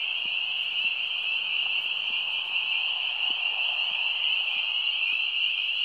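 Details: Spring peepers in full chorus at a wetland by the Fair Havens Outdoor Classroom: countless shrill, high-pitched peeps overlap into a dense, unbroken ringing wall of sound throughout, with faint soft low clicks beneath.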